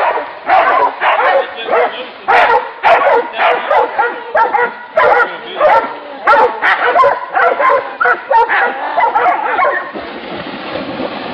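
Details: Several hunting dogs barking at a wild boar, sharp barks in rapid bursts about every half second, overlapping and uneven, fading into rougher noise near the end.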